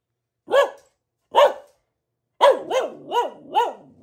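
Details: A female pet Boxer, Luna, gives two separate barks, then a rapid run of four bouncing, arched barks close together.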